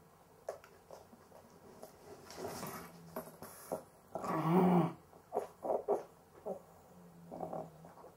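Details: Cavalier King Charles Spaniel with difficulty breathing while asleep, possibly sleep apnea: irregular snorting, rasping breaths in uneven bursts, the loudest a harsh gasp midway, followed by several short choking snorts, in a quiet room.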